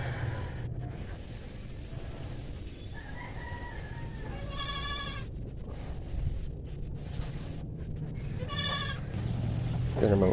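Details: Native goats kept for meat, a mother and her kid, handled while being injected with vitamin B complex; two wavering, harmonic bleats about four seconds apart over a steady low rumble, with faint voices.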